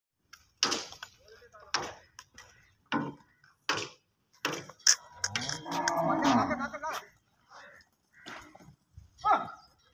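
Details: Cow on an Indian cattle farm giving one drawn-out, low, harmonic moo of about two seconds midway, surrounded by short sharp clattering knocks and brief voice-like bursts.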